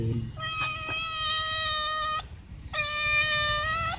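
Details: Hungry stray cats begging to be fed dry food: two long, steady, strongly harmonic meows, each close to two seconds, with a faint low background hum.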